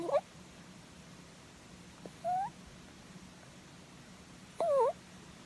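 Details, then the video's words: Rabbit snoring while dozing under head strokes: three short nasal squeals, one rising and the last a wobbling double note, separated by quiet gaps with faint room hum. "Snoring Rabbit｜いびきをかくうさぎ"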